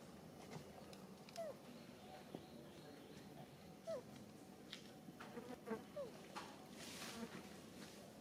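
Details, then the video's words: Baby monkey Sariki crying while its mother Sarika teaches it back style: three short, thin squeals sliding downward, spaced about two seconds apart, over a background of clicks, rustling and handling noise. "Po-or baby monkey SARIKI always cr-ying when mom SARIKA teach back style."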